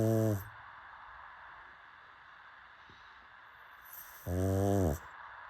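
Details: A pug snoring in its sleep: two low, rattling snores about four seconds apart, each a brief throaty buzz, with soft room hiss between breaths.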